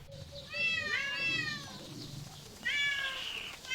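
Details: Cat giving a few drawn-out, wavering meows, one long cry followed by a louder, strained call. Soft low background murmur and faint tonal sounds run underneath.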